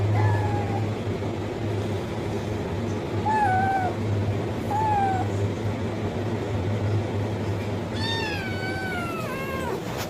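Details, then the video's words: Kitten meowing loudly for food: four drawn-out meows, at 0, 3, 5 and 8 seconds, the last one longer with a bent, wavering pitch. A steady low hum runs underneath throughout. "Cat meowing sound effect - kitten meowing loudly for food"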